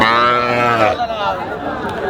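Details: Bull at a cattle market at Dhaperhat, Bogura, on Thursday, 22 August; a single long, low, harmonic moo lasting about a second, then crowd murmur and voices of the market.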